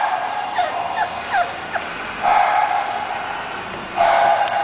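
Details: English bulldog named Azula, giving short high yips and whimpers that slide upward and down in quick succession over the first two seconds, followed by two longer, steady whining tones.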